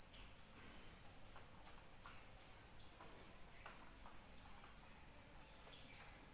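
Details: Unbroken shrill cricket trill holds one high pitch throughout, with gentle rain drops tapping in the background.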